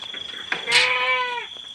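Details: Goat in its pen at night: one short, nasal, quavering bleat lasting under a second, over a steady high-pitched whine and faint background rustling.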